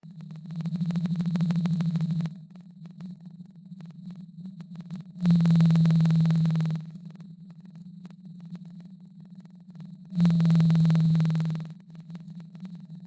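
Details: A blue whale, recorded by underwater microphone in the northeastern Pacific in 1996, gives low, steady droning moans, each about two seconds long, repeated every five seconds.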